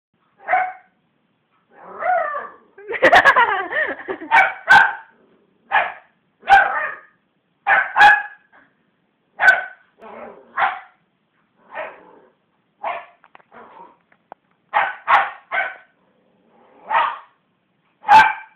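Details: Belle, a West Highland White Terrier, growls and barks indoors, provoked by hands bashing on a sofa: short broadband barks and grumbling growls repeat irregularly every second or so, with a dense burst of rapid barking near the start.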